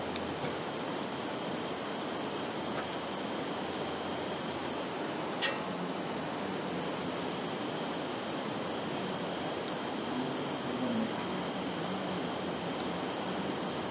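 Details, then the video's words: Field insects in Russia's Kaluga region, Zhukovsky district, recorded 11 September 2019 on a Samsung Galaxy 10S+ phone: continuous high, even buzzing trill without pauses, a brief soft tick midway and low background rustle. "Sounds of insects in field."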